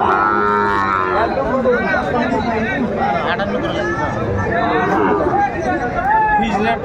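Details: Sahiwal bull calves at a cattle market in Sylhet, Bangladesh, on 11 January 2025: several overlapping drawn-out harmonic moos from many animals, with steady crowd chatter and haggling voices throughout.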